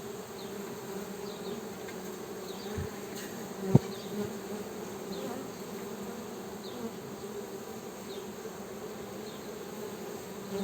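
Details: Steady honey bee hum, a dense low buzzing that stays level for about ten seconds, with one sharp click near the four-second mark and faint thuds around it.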